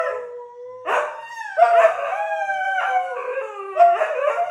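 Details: Siberian husky howling in the morning as a duet, long sustained tonal howls that waver and step up and down in pitch, overlapping voices with breathy onsets, no other sounds.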